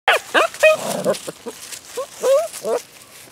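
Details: Rescue puppies recorded in November giving a rapid series of high, squeaky yelps and whines, some rising and bending in pitch, several voices overlapping in quick irregular bursts.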